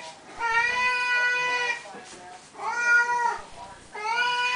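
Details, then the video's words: Three long, loud meows from Siamese cats waiting for their food, each held steady about a second before falling away, with faint rattling between calls. "Our Siamese kitties at feeding time... again"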